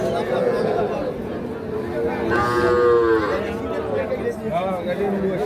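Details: Sahiwal bull calves being sold at Ambari cattle market, Dinajpur district, Bangladesh, on 26 March. A single loud, sustained, tonal moo swells near the middle, with a shorter call later and chattering people throughout.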